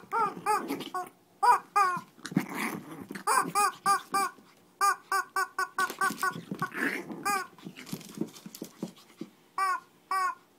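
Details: Shih Tzu scuffling in Kochi, Japan, giving steady runs of brief, nasal yaps about three per second, mixed with throaty growls and short pauses.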